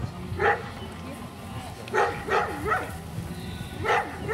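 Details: Caucasian Shepherd Dog barking at a club breed show near Kyiv, 6 October 2018: short harmonic barks at roughly 0.5, 2.0, 2.4, 2.7 and 3.9 seconds over a low hum and background voices.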